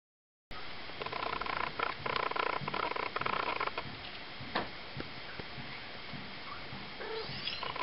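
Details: A litter of four Ocicat kittens at three weeks old (black silver, chocolate and tawny females plus a tawny male) makes a dense run of buzzy chirring bursts for about three seconds, then sparse clicks and faint high mews near the end, with steady hiss behind.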